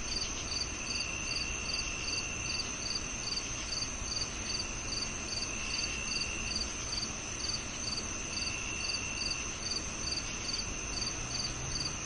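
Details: [['Crickets give bright, high chirps repeating about two or three times a second, layered over a steady high whine and faint low background noise.']]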